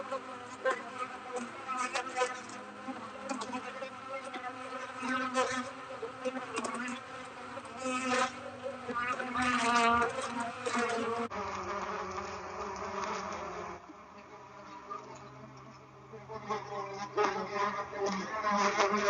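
A dense, droning hum of many honey bees buzzing together at a hive.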